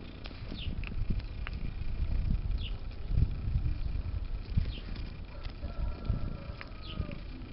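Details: Domestic cat known as Bitey Cat purring as it plays with and tries to eat a zipper. There is a deep throbbing rumble with uneven surges and scattered light scraping clicks over it.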